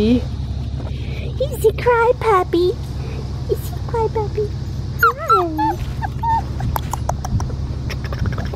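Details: Blue merle male Australian Shepherd puppy upset at being taken from nursing, uttering scattered thin whines and squeaky yips between pauses, over a woman's soothing speech and background music.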